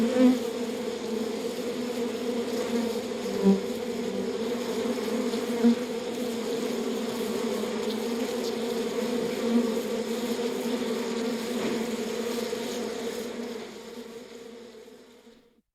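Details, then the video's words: Inside a beehive, honey bees keep up a constant, low droning buzz with a few short louder pulses, holding steady before fading out over the final two seconds. "BEEHIVE SOUND EFFECT"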